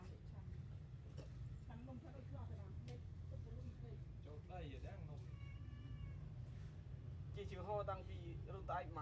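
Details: Newborn kittens sleeping together after a milk feed, giving thin, wavering high mews with rich overtones, one cluster midway and another near the end, over a constant low electrical hum.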